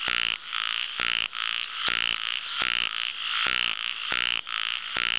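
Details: An ornamented pygmy frog (Microhyla fissipes) gives rapid, rasping buzzes, each a short pulsed burst repeated almost every second.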